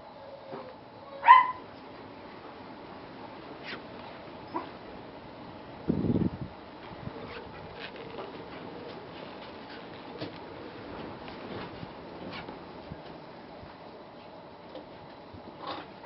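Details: An Akita puppy gives one brief, high, rising yip, followed by quiet room sounds and a soft thump.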